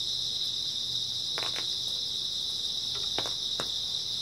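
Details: Continuous high-pitched chirring of grass insects on an early autumn night, steady and unbroken, with a handful of quiet clicks near the middle and end.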